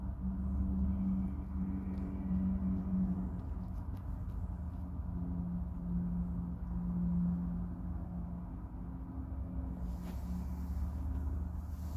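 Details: A steady low rumble and droning hum, like an engine or machine, with no clear animal voice. A faint hiss rises near the end.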